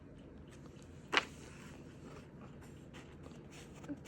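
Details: A quiet indoor room with low hiss, one short sharp click and a soft knock near the end.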